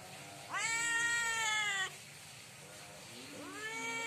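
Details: At night a cat cries loudly for food, giving one long, bright, sustained meow of over a second, followed after a pause by a softer rising meow starting.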